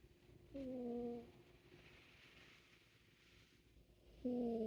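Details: Sleeping Siamese cat snoring indoors: two soft, whistle-like nasal snores with a steady low tone, the first lasting about half a second, the second starting near the end, separated by a quiet breathing pause.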